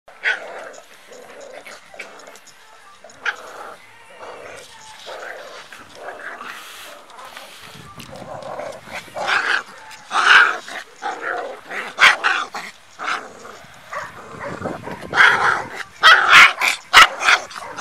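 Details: Four-week-old puppy in an angry moment: a run of high, sharp yaps and squeaky barks growing louder and denser toward the end, with faint softer sounds between.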